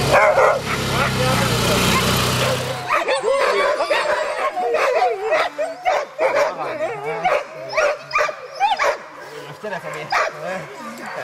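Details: Chorus of Alaskan husky sled dogs at a September 2009 musher gathering in Målselv, Norway: a loud broadband burst at first, then many short sharp barks and yips overlapping irregularly, with human voices in the background.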